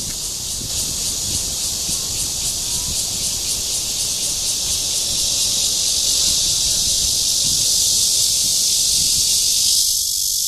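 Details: Courting Cryptotympana holsti cicada at Guangming Park, Zhongli, Taiwan, on 28 June 2013. A piercing high buzz with a fast, regular pulsing texture swells slightly louder through the clip.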